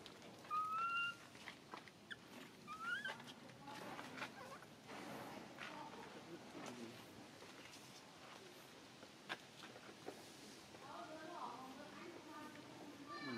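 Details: Baby monkey Mila cries while her mother Malika weans her, though she still relies on milk. Two short, clear whistled squeals come near the start, the first steady and the second rising, followed by quieter rustling and scattered clicks.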